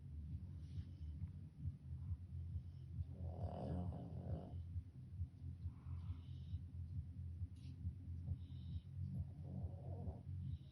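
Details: Sleeping dog snoring, a low rumbling drone broken by raspier, louder snores about every two to three seconds in a quiet room.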